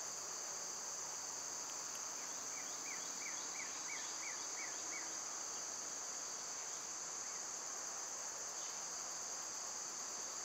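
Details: Loud summer cicadas keep up a constant high-pitched drone; early on a bird adds a quick run of about eight short downslurred chirps, then only the steady buzz remains.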